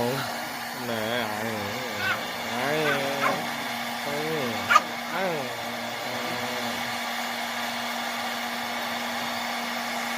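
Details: Freshly showered dog that dislikes the hair dryer, giving a string of warbling, wavering moans and grumbles for about seven seconds, one short sharp yip midway, against a constant dryer drone and a person talking.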